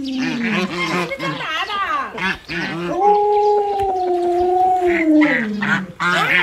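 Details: A pet Alaskan Malamute named Luoluo vocalises beside its sick owner's bed: choppy, warbling 'talking' yowls that rise and fall quickly, then a long sustained howl held for about two seconds before dropping, followed by more short yelps.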